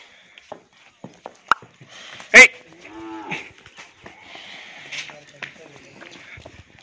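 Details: Hallikar stud bull at Thattekere, Maralavadi Hobali, Kanakapura Taluk, with one short, fairly soft harmonic moo lasting under a second amid sharp clicks, a loud bang and scattered background noises.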